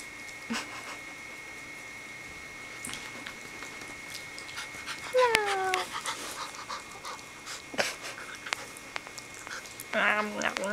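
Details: Puppies in a showdown: one sharp, falling whine-yelp with stacked overtones mid-clip, a second short whimper near the end, soft panting and scattered scuffling clicks between, a steady electrical hum underneath.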